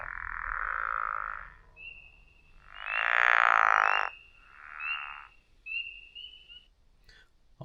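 A pickerel frog calls with drawn-out, grating croaks that sound much like snoring, three in quick succession. Thin, high whistled notes run faintly alongside, and a sharp click ends the recording.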